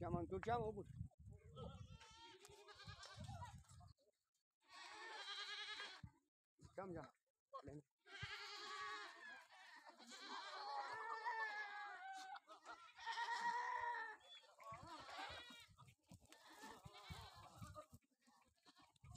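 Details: Sojat goat bucks kept on a goat farm at Indave, Sakri taluka, Dhule district, raised for the next Eid; wavering, quavering bleats come in bursts, some long and drawn out, with men talking and calling to the animals between them.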